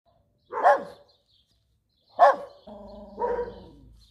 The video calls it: Schnauzer Barking [DOG SHORTS]